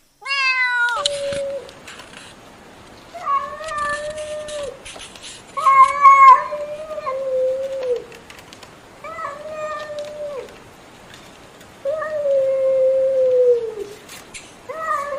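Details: Loud cat meowing: long, drawn-out, wavering wails, several lasting over a second, repeated at irregular intervals over a noisy, hissy background.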